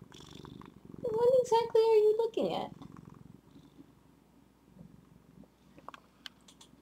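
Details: Zephy, a female pet cat, gives a drawn-out meow of steady harmonic tones lasting just over a second, ending in a quick falling slide, followed by quiet indoor room sound with faint clicks.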